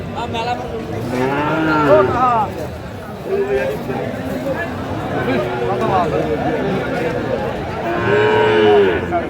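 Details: Moos from Sahiwal bull calves traded at a Sylhet cattle market on 24 December 2024: a bending moo early on and a steadier one near the end, with bargaining voices and crowd noise between.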